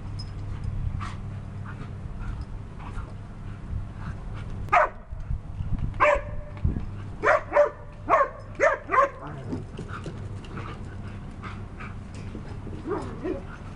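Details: German Shepherds and Belgian Malinois playing together; a burst of about eight short, sharp barks comes in quick succession mid-clip, with softer yips near the end over a steady low hum.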